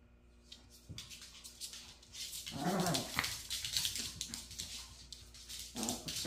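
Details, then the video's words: Maltese dog indoors, persistently attacking its own tail; a burst of rough growling and whimpering noises around the middle, with scuffling and rustling throughout. "#말티즈 "집요하게 꼬리만 공격""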